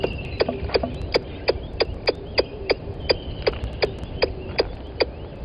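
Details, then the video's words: Squirrel on the mic at the Djuma waterhole cam, Gowrie dam, Sabi Sand Wildtuin, South Africa, 12/09/20 at 10:41. A train of crisp clicking notes roughly every third of a second, over quiet bush ambience and distant bird whistles. "Squirrel on the mic calling"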